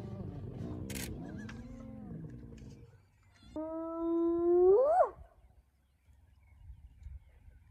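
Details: At Elephant Plains in South Africa's northern Sabi Sands, a spotted hyena clan mobs the young Nkuhuma male lion early in the morning: low rumbling groans and chatter, then a single loud, steady tonal call that ends in a sharp upward sweep.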